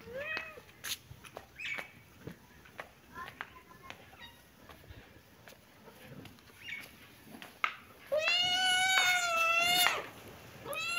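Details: Kitten and cat playing in a happy mood: a run of short, high meows and clicks, then a long, loud, wavering meow lasting about two seconds near the end.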